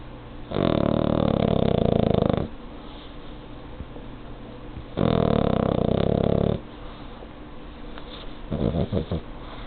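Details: Pet pug asleep in its owner's arms, snoring: two long, loud, rasping low snores of about two seconds each, separated by quiet pauses, then a shorter rattling breath near the end.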